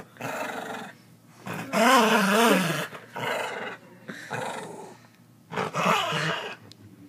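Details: Domestic dog indoors giving drawn-out growling vocalisations with wavering, rising and falling harmonic tones, four main bursts about a second long separated by brief quiet gaps.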